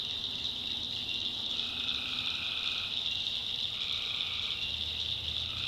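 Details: Tree frogs calling at night in the backwoods of North Carolina: a steady high chorus runs throughout, overlaid by lower trilled calls lasting one to two seconds that come and go, with a faint low rumble beneath.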